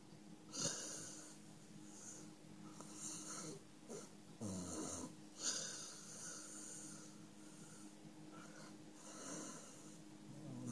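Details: Five, a male dog, fast asleep in a small room, snores steadily, each breath a raspy, wheezing burst with a thin whistle, repeating roughly every one to two seconds, with occasional snorts.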